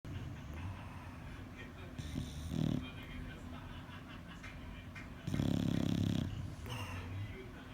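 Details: Sleeping bulldog snoring: low rumbling breaths with two louder, raspy snorts, the second lasting about a second, over a soft steady background hum.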